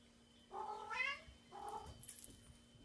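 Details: Domestic cat in a compilation of cats and kittens playing with bubbles; two drawn-out harmonic meows, the first rising then falling, the second shorter, followed by faint high squeaks against low room hum.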